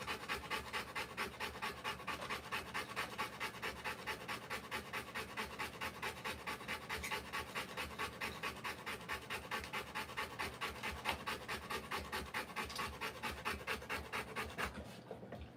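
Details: Sustained labour panting by a Rottweiler whelping puppies indoors, dimly lit. Long unbroken run of rapid, regular breaths, slightly over two per second, ending in a short quiet moment.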